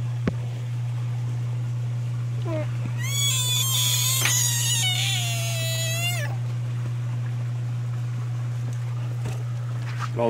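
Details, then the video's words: American bullfrog screaming: one loud, strained, cat-like wail with rich stacked harmonics, held about three seconds and sagging slightly in pitch before breaking off, over a constant low electrical hum. "Screaming bullfrogs"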